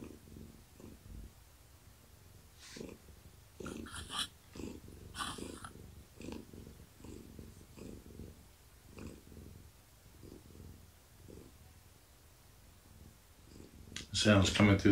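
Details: Gaia, a pregnant long-haired tabby cat, purring steadily indoors in the evening while being petted and scratched; low rhythmic rumble with soft rustling and handling noises over it, ending in a loud burst of contact noise.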